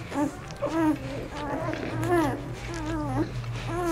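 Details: Aiki's litter of ten puppies, four days old, cleaned by their mother on Mother's Day 2013: rising-and-falling squeaky whines in quick succession, some short and bent, with a constant low droning hum beneath.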